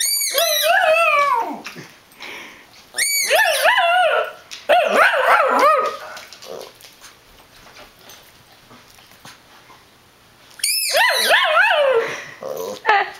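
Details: Brinkley, a household dog, repeatedly 'yells' at Sundae for squeaking her ball and getting too close to his bed: four bursts of wavering, yodel-like howls with a quiet gap of several seconds before the last burst.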